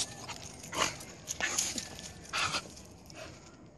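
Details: A Staffordshire Bull Terrier, talking to a squirrel, makes short, breathy whining and grumbling noises in bursts about a second apart.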